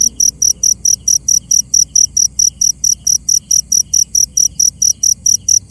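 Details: Close cricket at night, sharp high chirps repeated about three times a second in a regular beat, with a weaker echoing tone beneath and little other sound.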